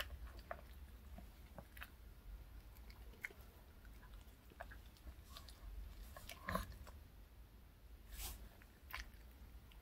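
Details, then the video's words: A pet dog named Reka chews a choco cupcake treat from K Pet Fair, recorded close up indoors. Quiet wet bites and scattered crunchy clicks come in uneven bursts over a steady low hum. "강아지 먹방 ASMR 초코 컵케이크와 우유 Choco cupcake and milk MUKBANG eating show"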